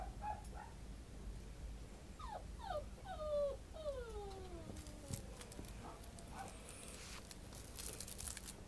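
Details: Male long-haired Kaninchen Dachshund puppy, red shaded cream, 87 days old, from a breeder in Yamanashi, Japan, filmed on December 5: a run of thin, high whimpers sliding downward, each a drawn-out whine, over faint background hum.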